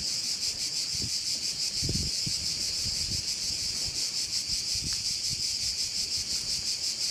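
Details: High, ceaseless pulsing buzz of crickets around a bay on Korčula, evenly sustained from start to end, over occasional soft low-pitched wind gusts.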